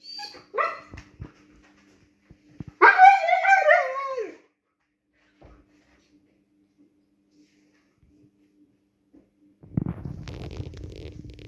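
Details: Siberian Husky asking to go outside; short yelping whines followed by a louder wavering, voice-like vocalisation lasting over a second, then silence and a later burst of rustling noise.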